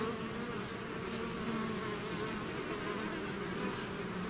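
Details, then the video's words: A bee swarm out of its hive makes a dense, steady buzzing drone. Low hum bands hold constant throughout, with no gaps or other sounds. "bees therapy swarm natural buzzing sound"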